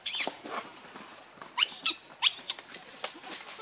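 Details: Young monkey Rainbow asking its mother for milk, giving three or four abrupt high squeaks in quick succession after softer chattering cries, against a faint steady high-pitched whine.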